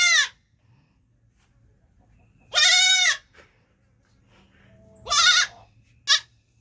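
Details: Baby goat bleating loudly: three strong, nasal, wavering bleats and one short final cry, separated by quiet pauses of two to three seconds.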